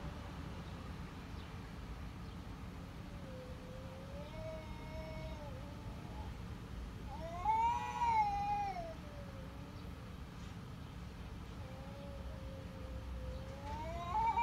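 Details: Cat meowing over a steady low rumble of background noise: drawn-out, wavering meows, one louder rising-then-falling cry near the middle and a softer one at the end.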